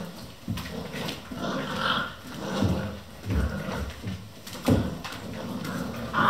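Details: Vizsla puppies, eleven of them, playing non-stop at 3 am in a kennel: low rumbling growls and snorts mixed with thuds and scuffling, an occasional brief squeak, irregular and close.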